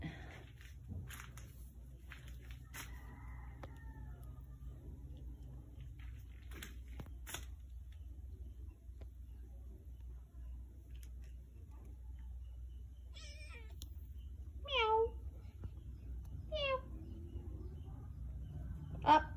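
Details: Sergy, a new kitten on its first day in the home, gives two short, high, harmonic meows about two seconds apart late in the recording, with one more at the very end, over quiet indoor rustling, footsteps and faint voices.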